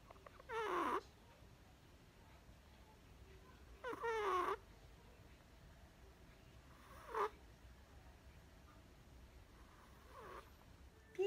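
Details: Chihuahua puppy named Perchik asleep indoors, filmed 12 October 2020, snoring again: four short raspy bursts with faint whistly overtones, spaced about three seconds apart, quiet room between them.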